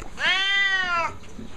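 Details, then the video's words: Siamese cat indoors giving one loud, long harmonic meow of nearly a second, rising then held level and falling at the end; a person speaks briefly around it. "Posibilly the Loudest Siamese Cat Ever?"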